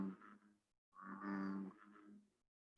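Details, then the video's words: An American bullfrog in the Chicago region gives deep, guttural droning calls, a short one followed by a longer, louder one, the call that gives the bullfrog its name. "and that's where they get their name the bullfrog because it is a deep kind of guttural call"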